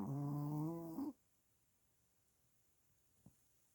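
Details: Sleeping Pomeranian puppy, eyes open, gives one rough buzzing snore about a second long with a low droning base, followed by near silence and a single faint tap.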